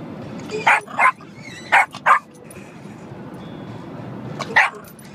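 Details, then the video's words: A small pet dog barks at windshield wipers during a car ride, giving short sharp barks in pairs, with a steady low road rumble underneath. "barking at windshield wipers"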